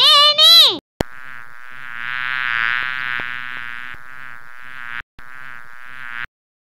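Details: Bee buzzing: a steady, whining drone with slight swells in loudness, briefly cut off twice near the end, after a short opening chime.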